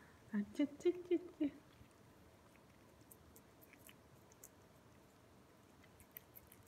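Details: Ragdoll cat, one of two housemates Ao and Aki, aged 2 years 8 months and 2 years 4 months, eagerly eating Ciao Churu treats indoors: five short, low, harmonic mewing sounds in quick succession within about a second, then faint licking noises.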